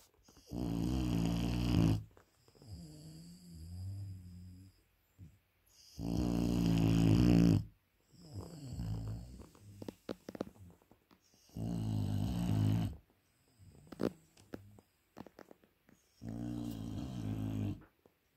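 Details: Sleeping Dogue de Bordeaux puppy snoring loudly indoors: deep, rumbling low snores in long bursts of about two seconds, each followed by quieter breathing, repeating roughly every five seconds.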